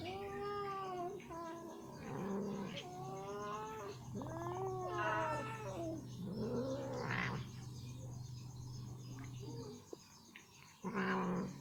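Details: Ginger female cat, happily eating chicken meat that gets stuck in her teeth, struggling to remove it: a run of strained, wavering yowls and meows, some rising then falling, over a steady low hum indoors.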